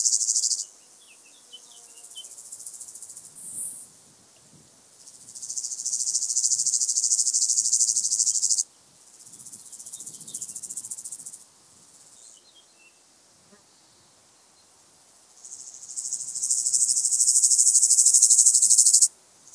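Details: White-headed Toothed Grasshopper at Sandberge Oberweiden, Austria, on 15 July 2020: several high, dry pulsed buzzing phrases, each lasting a few seconds and separated by quiet gaps, with a few faint chirps from other insects.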